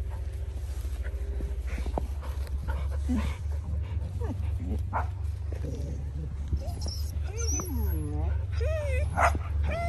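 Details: Border Collies give high, wavering whines and short yips that rise and fall in pitch, growing more frequent toward the end, over a steady low hum with a person speaking Czech to the dogs.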